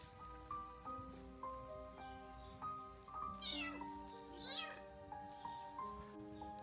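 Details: A black stray domestic cat in an abandoned garden in cold rain at 6°C, shivering, hungry and with a sore eye, gives two drawn-out, wavering meows as if begging for help, over soft continuous instrumental music.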